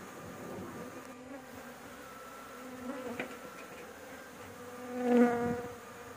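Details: Honey bees at a rooftop nest during a honey harvest, a dense buzzing drone that grows suddenly louder and higher as bees pass close by, with a brief knock partway through.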